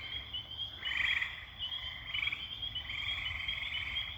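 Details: A dense night-time chorus of tree frogs singing from high up in the trees, a steady high trilling brrr with overlapping voices swelling and fading.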